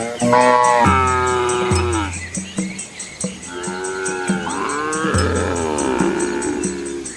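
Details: Village cows and their calves walking together along a country lane by rice fields in Asia; deep moos alternate with drawn-out, higher, harmonic bellows, several overlapping callers in steady succession.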